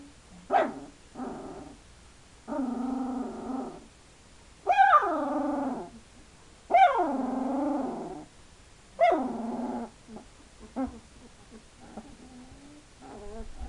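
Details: Two-week-old Hungarian Vizsla puppies whimpering: loud, drawn-out wavering whines that rise then fall, some over a second long, with shorter squeaks between, coming in bursts every couple of seconds.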